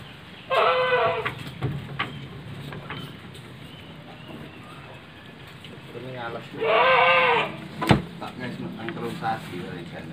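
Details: Two strong, shaky bleats roughly six seconds apart from Etawa goats penned in a village in Trenggalek, Indonesia, a herd of three pregnant jumbo does and a prospective buck. Low hum, clicks and a sharp knock in between.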